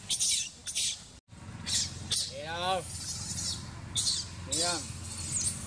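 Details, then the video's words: Abandoned baby monkey Sovana crying loudly and angry: two loud, wavering, harmonic wails, each rising then falling over about half a second, among hissy noise bursts, with a man speaking Vietnamese nearby. "Abandoned Monkey Sovana Crying Loudly Angry"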